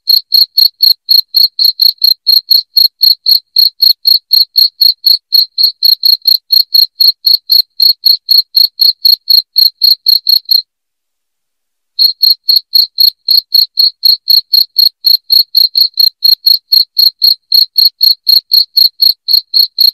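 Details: Loud cricket chirping played to drive rats out of a house: short, shrill, evenly spaced chirps about four per second, a brief silent gap near the middle, then the same steady pulsing resumes.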